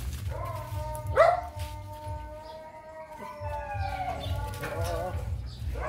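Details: Breeding dog seeing a female for the first time gives long, tonal whining cries, one sharp rising yelp near the start and wavering moans later, with low music throughout.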